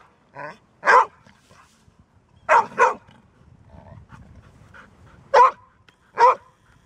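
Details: Golden Retriever barking, normally a quiet dog that barks only when needed: irregular barks, a soft one then a loud one, a quick double bark, a pause with low rustling, then two more spaced barks.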